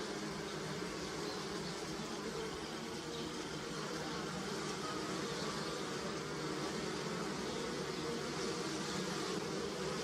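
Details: Many bees humming around flowering willow blossoms in early spring, Europe, gathering nectar; continuous thick buzz with slight waves in loudness, no pauses.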